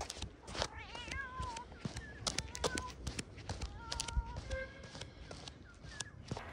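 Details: Kitten pouncing on a large plate of chicken and fish, giving several thin high meows that wobble and fall, some drawn out, amid clattering and chewing noises with occasional background voices.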